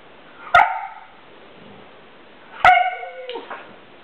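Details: Siberian Husky, a pet dog irritated with another dog for not wanting to play: two short sharp yipping vocalizations about two seconds apart, the second drawn out into a brief wavering whine, with a quiet room behind.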